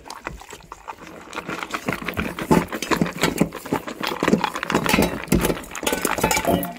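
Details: Two male Labrador Retrievers, one black and one yellow, eat raw egg over rice, quail eggs and raw chicken bones: wet, smacking chews and sharp crunches in quick bursts, with a faint clink of a bowl.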